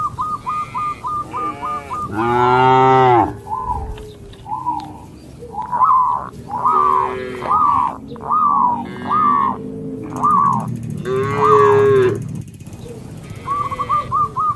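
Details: Cattle in a herd bound over the edge of a path through green rice fields; two loud, rich moos rise and fall over a backdrop of repeated short high chirps and faint rural noise.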